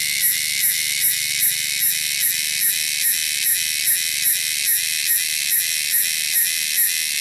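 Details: Cicadas in the wilderness, producing a loud, shrill, continuous high buzz that pulses steadily about every 0.4 seconds, with a faint low hum underneath.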